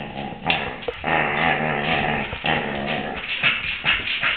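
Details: Female Samoyed yowling in 2008 while another Samoyed and a Maltese-Pomeranian look on: a sustained, wavering, harmonic vocal sound with grumbly undertones, rising and falling over several seconds.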